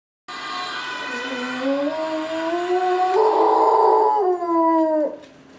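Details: Pet dog howling in response to a Dutch ambulance siren: a long rising wail that climbs steadily, swells louder in the middle, then holds and breaks off, over the siren's steady tones.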